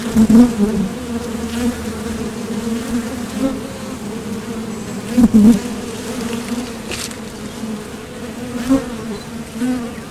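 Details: Continuous low drone of honeybees coming and going at a Top Bar Hive entrance during nectar foraging, with brief louder bursts as individual bees pass near, especially around five seconds.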